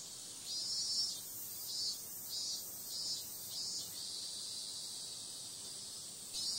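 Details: Cicadas singing through a summer night: a sharp, high continuous buzz carrying a series of five or six pulsing swells, each under a second long, before it settles into an even hum and rises again at the end.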